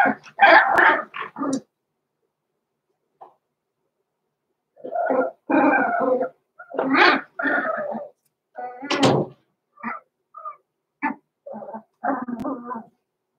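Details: In a home puppy pen, six-week-old blenheim Cavalier King Charles Spaniel puppies Roman and Blue make bursts of noisy yelping and whining, several rapid cries together, then a quieter spell and scattered short whimpers.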